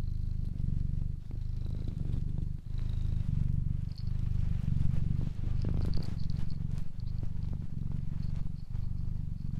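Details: Steady low cat purr in even rumbling stretches broken by short pauses about once a second, with faint thin high tones drifting above.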